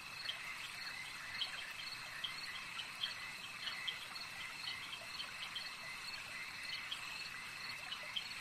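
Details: Frogs calling at a lake in a nature ambience recording: a dense, steady high-pitched chorus humming without pause, dotted with short sharp clicks that repeat irregularly several times a second over the constant drone.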